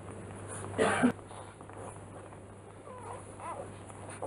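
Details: Newborn Rottweiler puppies from a litter, three days old: after a brief broadband rustle, a couple of faint, wavering whimpering squeaks rise and fall against a steady low hum.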